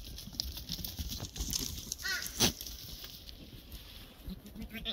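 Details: Black goat at a goat farm in Gimhae, South Gyeongsang, South Korea, giving one short quavering bleat about two seconds in, set against rustling, knocks and steady farmyard background noise.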